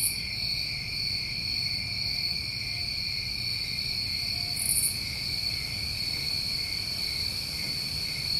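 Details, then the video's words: Constant high trilling from many crickets on a New England summer night, broken by a short buzz at the very start and another near the middle. "Over 1 Hour Of Tinnitus Masking With Crickets"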